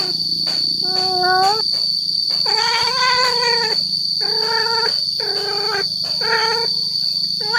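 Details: Male cat calling to attract females: a quick run of short harmonic meows, some rising and some falling, coming about once a second, over a constant high whine and low hum.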